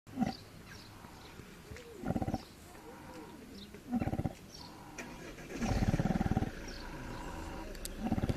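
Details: Pig fast asleep at Cefn-Yr-Erw Monkey Sanctuary in South Wales, giving deep, rasping snores roughly every two seconds, one longer drawn-out breath near the middle, faint high bird chirps in the background.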